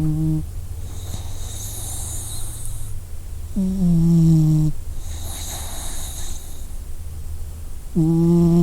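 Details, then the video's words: Dog snoring in its sleep, three low voiced snorts about four seconds apart, each following a long hissy inhale, with a low steady hum throughout. "Dog Sleeping Sound Effect"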